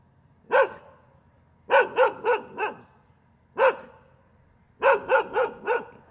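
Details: Continuous dog barking: single loud barks alternate with quick runs of three or four barks, spaced roughly a second apart, with little else audible.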